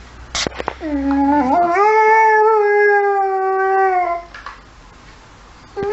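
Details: Saluki howling at emergency services sirens: one long, smooth harmonic howl that rises slightly, then holds steady for about two and a half seconds before breaking off, with brief clicks and rustles around it.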